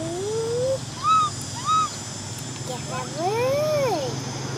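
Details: Orphaned baby macaque Cola cries, wanting to ride a bike: a rising whimper, two brief arched yelps, then one long wavering cry that swells and slides downward.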